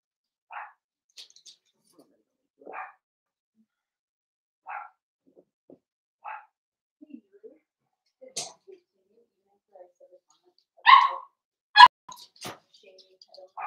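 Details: A litter of five Blenheim Cavalier King Charles Spaniel puppies playing with their mother in an indoor pen, short yips repeated about every two seconds, then a louder bark burst and a sharp click.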